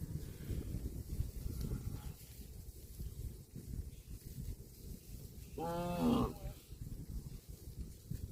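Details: Cow eating grass gives one short, rising-then-falling harmonic moo lasting under a second, partly masked by steady rustling and munching noise throughout.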